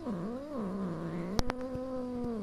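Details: Kitten angry and scared after being hit by her mother cat, who has a new litter of five; a sustained, slightly rising then level whining meow lasting over two seconds, broken by a few sharp clicks or taps.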